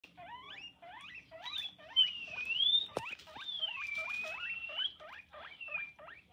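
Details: Guinea pig wheeking: a rapid run of short upward-sweeping squeaks, repeated several times a second, with longer wavering whistled tones sliding high and low over them and a sharp click near the middle.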